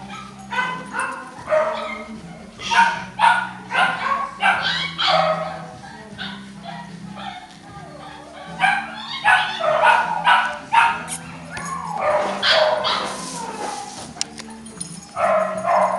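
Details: Kennel-bred English Cocker Spaniel puppies yapping busily: rapid high-pitched yips and squeaky barks, about two a second, overlapping from several pups, with faint human speech beneath.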